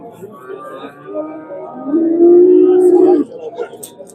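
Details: Bull at the Andijan livestock bazaar in Uzbekistan, where prices were dropping, gives one steady, level, drawn-out moo lasting just over a second, over background music and market chatter.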